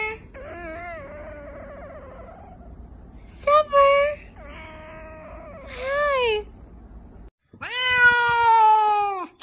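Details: Pet cats 'talking' in a funny compilation: a long wavering meow, then several short rising-and-falling meows, and a final loud, drawn-out meow that holds steady before dropping away.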